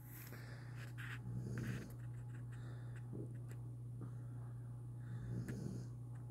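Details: A nine-month-old German shorthaired pointer snores while napping, with slow, rough breaths over a steady low hum.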